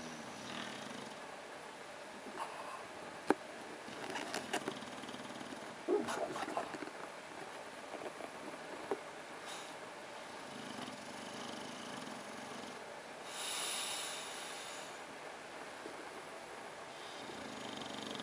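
An English Bulldog hiccups in short, sharp jolts over a low, rasping snore.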